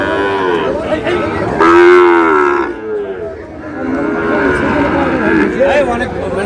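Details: At the Brahmanbaria cattle market in Bangladesh, a Sahiwal bull lets out one loud, full moo lasting about a second, followed by softer lowing amid market chatter and shouts.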